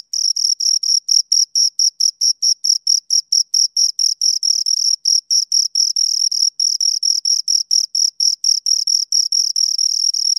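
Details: Shrill chirps of two crickets recorded close by, a continuous stream of high, rasping pulses repeated a little over twice a second, steady and unbroken, with no other noise.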